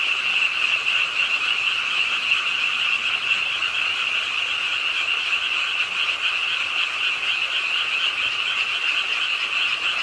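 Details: Frogs croaking at a pond in Ingye Art Park, Suwon, late on a rainy night: a dense, unbroken chorus of many overlapping callers, with a steady high buzzing band and a lower band, plus a hiss of rain throughout.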